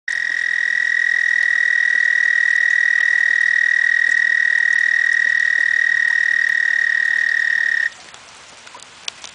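A frog gives a long, steady, high trill that holds one pitch for about eight seconds, then stops.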